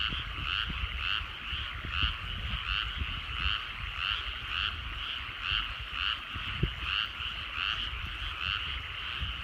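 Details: Frog chorus at sunset in rice paddies in the Japanese countryside: dense overlapping pulsed croaks in two bands, swelling about twice a second in a steady rhythm, with low rumbling background noise.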